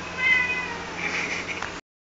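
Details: Siamese cat described as talking gives one loud, drawn-out meow lasting under two seconds, clearly tonal and slightly wavering before breaking off abruptly.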